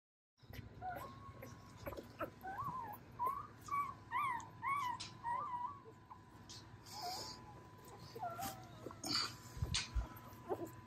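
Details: Litter of Dobermann puppies from a spring 2022 litter, whimpering with thin, rising and falling squeaky whines in uneven bursts, alongside rustling, a steady faint tone and a man's voice introducing the female pups.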